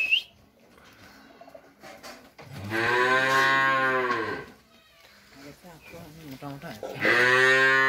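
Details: Friesian heifer calf offered for sale in Pabna, Bangladesh, giving two loud, drawn-out, deep moos, the first lasting about two seconds and the second cut short at the end, with quiet rustling and faint knocks between them indoors.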